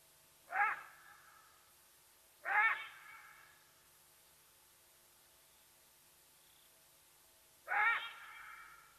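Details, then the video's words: Side-striped jackal at Nkorho in the fenceless Sabi Sands Reserve beside Kruger National Park, South Africa, calling to give away Watika the leopardess; three short harsh yelping calls with rich harmonics, spaced two to five seconds apart, on a quiet background. "Shush, you fool! Side Striped Jackal, giving away Watika the Leopardess's presence at Nkorho"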